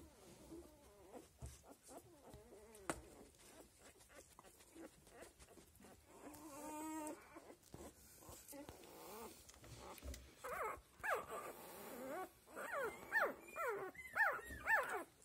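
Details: Australian Labradoodle puppies at seven days old: scattered faint squeaks, a longer quavering whine midway, then louder rising and falling squeals crowding together toward the end.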